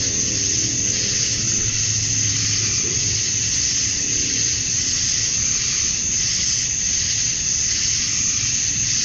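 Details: A continuous, even wall of high buzzing from male cicadas calling for females, recorded outdoors at summer dusk in Georgia, USA; faint low rumble beneath, no pauses in the drone.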